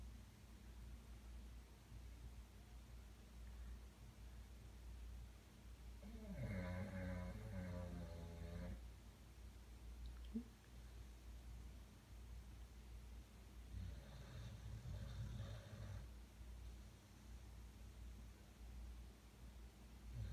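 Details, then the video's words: Pet dog snoring at night while asleep, a habit repeated every night. Two rough, low rumbling snores, each about two seconds long, come roughly seven seconds apart over a steady indoor hum. "My dog snoring"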